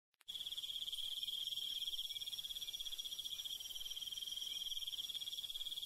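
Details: Crickets and other night insects chirping in the Korean countryside after dark: a dense, continuous high pulsing trill, rapid and steady, with a fainter high insect hiss above it and no other sounds.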